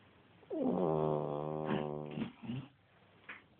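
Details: Dog asleep at nap time gives one drawn-out, harmonic, grumbling snore lasting nearly two seconds, fading into soft breathy snuffles and a short faint rasp.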